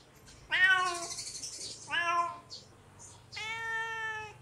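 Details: Calling kitten, hungry, gives three meows: two short bent cries that rise and drop, then a longer steady, clear meow held at one pitch.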